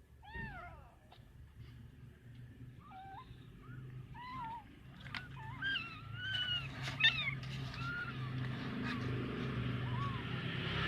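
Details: Kitten abandoned in bushes gives thin, wavering mews, several short and bending downward, over a rising wash of broadband traffic-like noise that grows louder toward the end.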